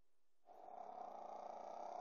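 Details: Pekingese puppy asleep, giving one long rattling snore that starts after a brief quiet moment and keeps a steady buzzy flutter to the end.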